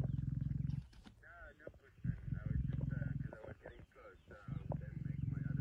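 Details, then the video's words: Lions feeding on a buffalo kill in Kruger National Park, 26 September 2023: a male lion and a pride. Low rasping growls in bursts of one to two seconds separated by short pauses. Human voices murmur quietly throughout. "Mohawk Avoca Male Lion & Nkahumas on buffalo kill"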